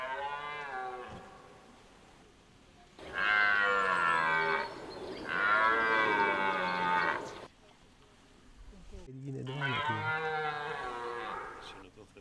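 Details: Red deer stag bellowing in the rut at Hoge Veluwe park, Netherlands, 2023; three long, rich, resonant roars of about two seconds each, with quieter gaps of background between them.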